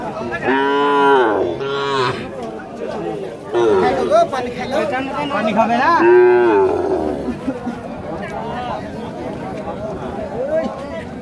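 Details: Market calves in Rajshahi, Bangladesh, 2018, give repeated short, bending moos. Two come close together near the start, with another strong one midway, over constant background talk from people at the cow market.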